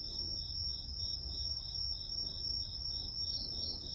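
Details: Grass insects: one insect holds a shrill continuous trill while another repeats soft, evenly timed chirps at nearly three per second, with quiet low rumble beneath.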